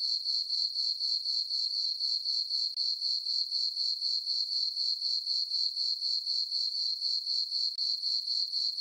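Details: Summer night chorus of crickets in a moonlit farm meadow, an even high-pitched pulsed chirping at roughly four beats a second, unbroken and with nothing else audible.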